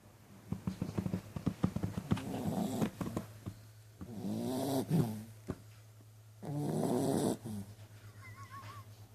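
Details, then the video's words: Dog snoring, with two long rasping breaths in the second half, preceded by a run of sharp clicks and rustles, over a steady low electrical hum. "Snoring dog"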